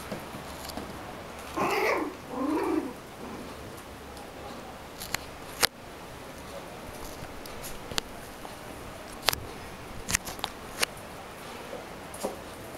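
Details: Newborn puppies, born 7 August 2009, playing with their mother Rina: two short, high, wavering squeals early on, then a quiet stretch broken by sharp clicks and knocks.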